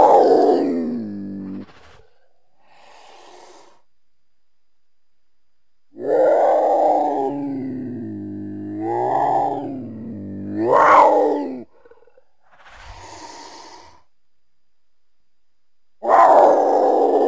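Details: Mountain lion producing several long, harsh yowls with strong tonal overtones, some rising in pitch toward the end, separated by quieter breathy pauses.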